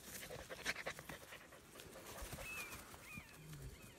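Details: German Shepherd puppy in Florida, from Vom Barron's Pride, May 27, 2019: quick breathy panting in rapid broadband bursts during the first second and a half, then softer breathing, with faint bird chirps and quiet voices behind.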